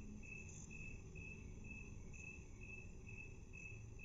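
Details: Half-speed playback of a chirping cricket. Brief high pulses repeat at a regular pace above a continuous low hum and faint background hiss.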